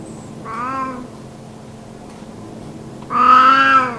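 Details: Elderly cat, sunbathing, that rarely meows: a short, soft, tonal meow, followed after a pause by a longer, louder, clearly harmonic meow held level before fading.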